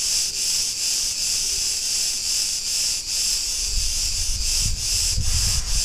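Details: Cretan cicadas singing in a street in Ierapetra, Crete, Greece: a dense, continuous high hiss-like buzz with slight pulsing swells, steady throughout; some low rumbling street noise toward the end.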